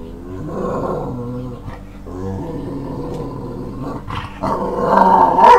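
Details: Staffordshire Bull Terrier, overly excited and hyper as its owner has just got home from work and the evening walk nears; growly, harmonic barking and whining in two bursts, the second louder and higher, with a brief human voice.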